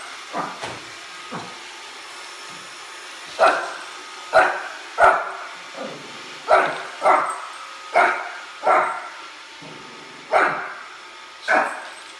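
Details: Shih Tzu puppy named Oliver barking at a Roomba he dislikes; a few soft yips early, then a run of louder, sharp barks roughly every half second to second, with a constant machine whir beneath.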